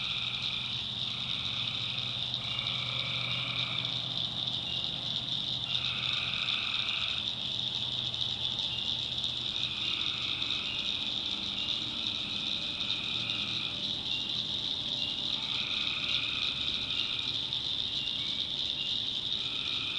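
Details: Swamp at night in the North Carolina backwoods, with tree frogs giving pulsed, rattling calls in regular bouts of about one to two seconds, repeating through the stretch, above a steady shrill chorus and faint low rumble.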